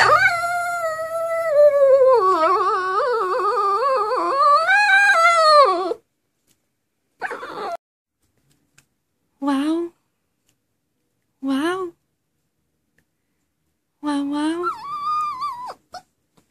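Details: Dog singing in a small room: a long, wavering howl lasting about six seconds with quavering pitch, followed by four short whining howls spaced a couple of seconds apart.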